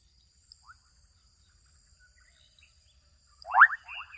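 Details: Adolescent frogs calling out in a Kenyan wetland: after near silence with a couple of faint chirps, a loud burst of rapid, rising, raspy pulses arrives near the end, trailed by softer clicks, over a steady thin high whine.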